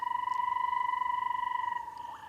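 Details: In Namibia in the wet season, two weeks into the rains, a banded rubber frog calling to attract a mate gives a long, even two-to-three-second trill near one pitch, with other frogs bubbling in the distance.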